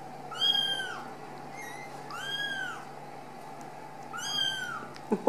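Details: Young Ragdoll kittens from a home cattery in central Kansas, away from the nest, calling with three long, clear, arching meows and one faint short one, set against a constant hum and a sharp clatter at the end.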